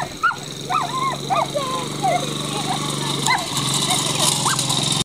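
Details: Standard Schnauzer during coursing training making high, wavering whines and quick yelps in a short burst, then sparser cries, over a continuous low engine-like drone and brief human voice.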